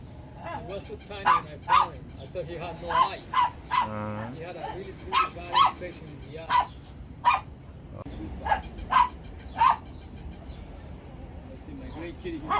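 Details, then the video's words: Shih Tzu barks scattered through a busy mix, short sharp yaps in small groups over a continuous murmur of background sound and a brief tonal blip midway. "Funny Dogs Barking to Make Your Dog Bark"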